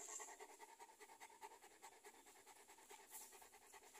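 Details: Cane Corso dog panting: fast, steady, breathy huffs, roughly two or more per second, dry and hissy, with no other clear sounds.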